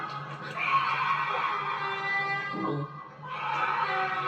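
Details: A bobcat, caught on a viewer's recording, gives long, harsh, wavering yowls that briefly break off and then resume.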